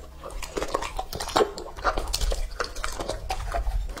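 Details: Close-up ASMR feeding of Lucky, a two-and-a-half-year-old male English-type Labrador Retriever, on raw meat: rapid, uneven bites and wet chewing clicks, some sharp crunches, in a small indoor space.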